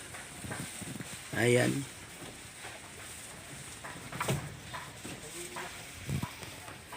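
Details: Pet goat letting out one loud, wavering bleat with a trembling, stacked tone lasting about half a second. Quieter stretches follow, with a person talking nearby and light rustling.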